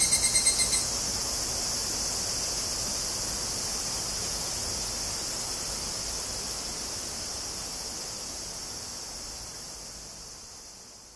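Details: Tanna japonensis cicadas (higurashi), Kobe, Japan, 14 August 2011, via Zoom recorder: a ringing pulsed call ends in the first second, leaving a high, hissing insect chorus that gradually quietens.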